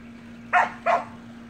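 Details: Samoyed puppies with their siblings playing in a pool; two short, bright barks about a third of a second apart over a steady low hum.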